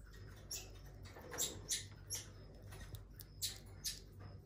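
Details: A very elderly female common marmoset at a zoo, balding and all white-furred, gives brief, very high-pitched chirps and squeaks at irregular intervals over a faint low hum.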